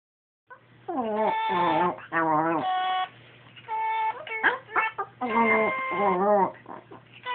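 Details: Princess, a Pomeranian, sings along when a Sing-A-Ma-Jig toy is pressed: wavering, howl-like tones that bend up and down in short bursts, mixed with the toy's flat, steady electronic notes, indoors.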